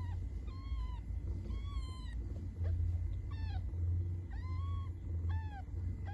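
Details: Cats meowing in a rapid series of short, rising-then-falling mews, some high and thin, several in quick succession over a steady low rumble.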